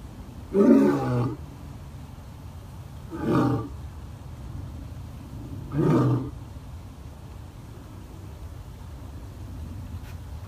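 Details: A male lion, Joseph, at a big cat rescue sanctuary in the evening gives three deep, throaty roars spaced a few seconds apart.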